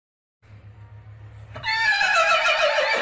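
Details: A horse gives a loud, quavering whinny that falls away at the end, after a low steady hum.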